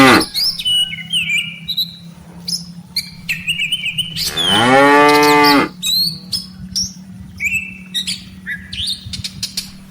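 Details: Tame cattle from a herd of dozens grazing in a rice-field pasture and walking home to the farm barn, cows followed by calves; one long, rich moo of about a second and a half rises midway over constant bird chirps and a steady low hum.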